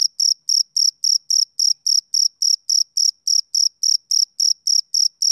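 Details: Steady chirps of a male cricket, summer evening; each bright, high-pitched pulse lasts a fraction of a second, repeating roughly every third of a second at an even, unchanging rhythm over quiet background.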